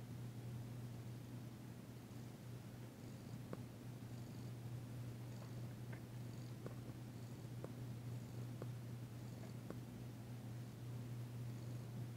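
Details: Female cat Danci purring during a massage, February 9, 2022, tentative yet enjoying the work. A constant low purr continues throughout, with small regular clicks and soft rubbing sounds above it.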